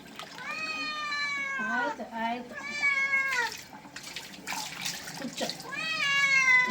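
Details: Cat protesting during a bath with loud, strained meows that bend downward at the ends, a pause filled with splashing and rustling, then another high rising meow; music plays underneath.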